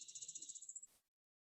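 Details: A ground cricket from Martha's Vineyard, a small, cryptic species hiding at the base of vegetation, gives a rapid run of high, thin chirps, like an accelerated field cricket chirp with notes packed closely together.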